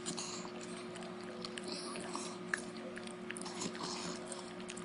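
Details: A female beagle devouring a dog treat chews noisily, with lip-smacking, crunchy clicks and snaps over a steady indoor hum.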